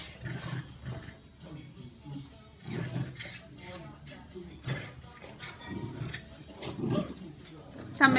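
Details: A playing West Highland White Terrier rumbles with low, throaty growls that swell and fade in bursts about every second. Human voices are mixed in.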